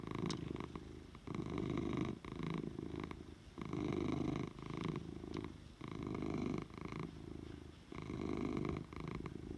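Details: Oliver, a pet cat, purring strongly: a throaty, even rumble that swells on each breath and eases off between, repeating about every two seconds across the whole stretch, with occasional faint clicks.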